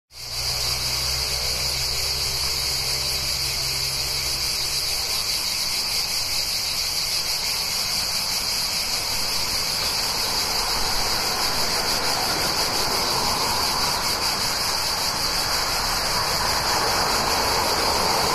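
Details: Cicadas near a town in summer: a steady, dense high-pitched buzzing drone, unbroken throughout, over a low rumble of passing cars early on.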